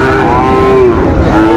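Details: Sahiwal bull calf bought at Ranigonj market, Dinajpur, Bangladesh; a sustained low moo holding steady then dropping, followed by a second lowing call, over constant market noise and voices.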